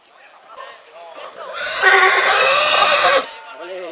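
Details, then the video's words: A purebred horse calls in spring. Soft sounds build for over a second before a strong, raspy neigh bursts out and holds about a second and a half, then cuts off. Quieter murmurs follow. "CABALLO PURO RELINCHANDO"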